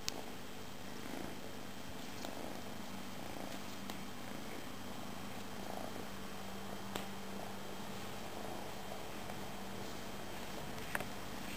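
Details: Pet cat, Tejko or Tigra, purring steadily: an unbroken low, even rumble lasting the full stretch, quiet and close, with only a couple of faint ticks in the background.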